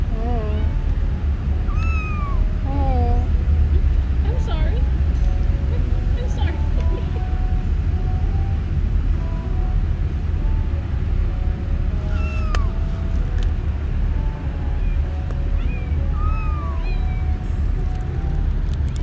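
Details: Confused kitten on its first trip outside the house meows repeatedly, high, short and arched, in clusters early and again later, with quiet gaps between, against a steady low background rumble.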